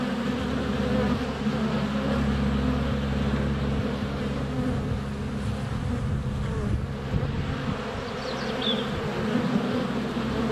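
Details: Honey bees in flight crowd a hive entrance in sunny February weather, GoPro Hero 7 Black less than a foot away; continuous low droning buzz, bees brushing the camera, a brief high bird note near the end.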